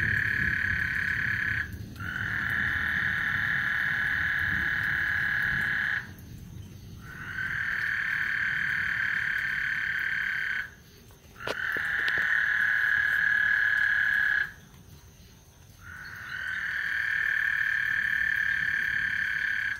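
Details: Massed frogs calling at Lake Houston before a thunderstorm, their high buzzing trill sustained in four long waves of about four to five seconds each, separated by short pauses, over a low rustling ambient rumble.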